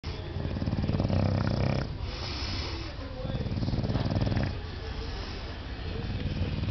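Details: An English Bulldog, happy while having his belly scratched, makes low, snorting, purr-like grunts in a rapid rumbling rhythm.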